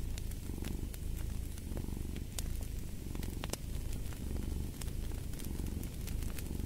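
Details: Cat's continuous low purr, pulsing in soft breathing cycles roughly once per second, close and dominant, while a crackling fireplace adds sporadic bright snaps over the rumble.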